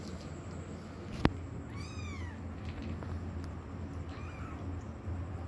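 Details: Kitten struggling over obstacles while searching for its mother cat, giving a clear high arching meow followed later by a softer, shorter one, over a steady low rumbling background and one sharp knock.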